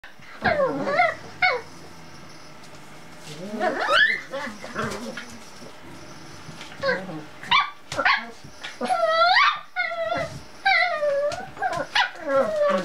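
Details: Cocker Spaniel puppies playing around a kitchen stool, giving high, whiny yelps and squeaky yips that bend up and down in pitch, in short bursts separated by brief pauses.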